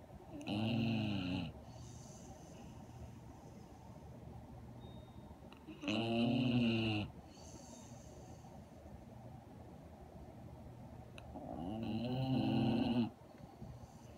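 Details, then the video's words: A 1½-year-old female Redbone Coonhound, asleep with eyes open and tongue out, snores in deep, rumbling breaths lasting about a second and a half each; Syracuse, NY, 2.6.17. "My big ole Snoring Redbone Coonhound REBA"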